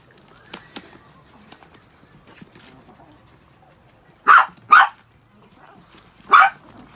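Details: Six pet Chihuahuas after a shampoo; a quiet stretch with faint taps gives way to three sharp, high yapping barks, two close together and one after a short gap.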